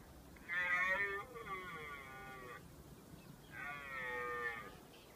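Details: Red deer (Cervus elaphus) stag in Richmond Park during the mating-season rut gives two long, drawn-out bellows, harmonically rich and slightly falling.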